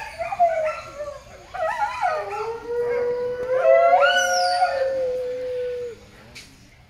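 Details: Captive coyote at a wildlife rescue center in Alajuela, Costa Rica: a drawn-out steady howl that dips then holds level, joined midway by a sharply rising high wail and yipping, fading out at the end.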